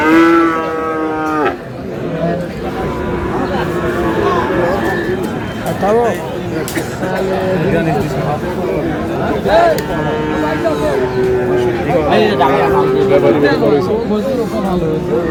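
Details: Friesian and cross-breed bull calves at Aftabganj cattle market in Dinajpur, Bangladesh, on 29 July: one loud, low, harmonic-rich moo lasting about a second and a half opens, followed by steady crowd chatter and men bargaining.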